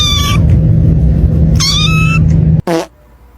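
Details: Domestic cat meowing, possibly asking for food or attention: two clear harmonic meows about a second apart, the second longer and slightly wavering, then a short sharp cry, over a steady low hum of background noise.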